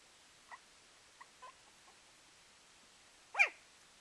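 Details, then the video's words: Puppy giving a few faint, short squeaks, then one louder, high-pitched whine that rises and falls near the end; otherwise quiet. "Puppy making adorable noises"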